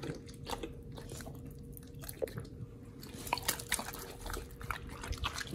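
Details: Two pit bulls on a raw diet eating raw quails and giant sea bass skin indoors; dense, sharp crunching and biting bursts follow one another rapidly, with a faint steady hum underneath.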